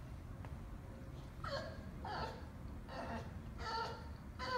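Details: Winston, a Bulldog, crying after being put in time out for playing too rough, gives short, high, wavering whines in bursts about a second apart over a steady low background hum.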